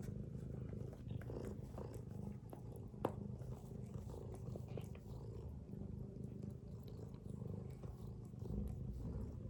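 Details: Mother cat dozing with her kittens produces a steady, low, grainy snoring rumble with no other clear sounds.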